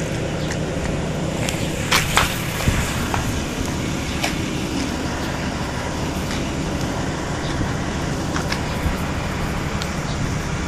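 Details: Steady roar of road traffic with passing vehicles and a few sharp clicks, no animal voice heard.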